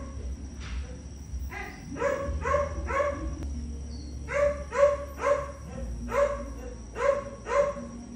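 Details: Pet Chihuahua crying indoors: bursts of short, nasal, harmonic yelping cries, three quick ones then a run of six, each about half a second apart, over a low background hum.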